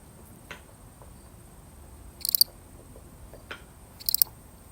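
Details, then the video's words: Solitary lone cricket in a genuine recording: two high buzzy pulsed chirps spaced nearly two seconds apart, with faint soft clicks and taps scattered between them over a low steady hiss. "The sound of one lonely cricket"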